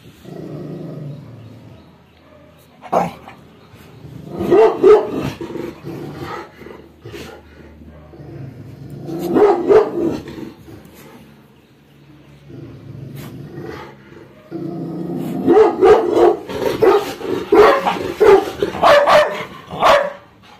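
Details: An angry Labrador Retriever in aggressive guard mode, with deep sustained growls rising into clusters of loud barks, the last stretch a long rapid barking outburst.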